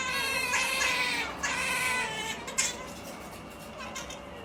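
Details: Sleepy otters Maiko and MaiJi give their funny noise, strained harmonic whines in long wavering bursts, broken by a brief click near the middle, with a faint hum behind.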